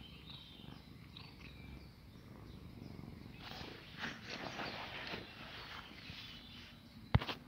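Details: Cat purring and kneading as if the person were its mother; a soft, low continuous rumble with faint bird chirps above and a sharp click near the end.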